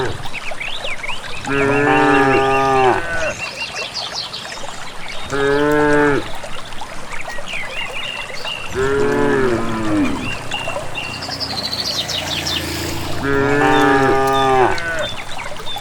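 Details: Village cattle in a group heading out to a grassy valley pasture on their own, mooing in four drawn-out harmonic calls spaced a few seconds apart, over running water and high bird twitters.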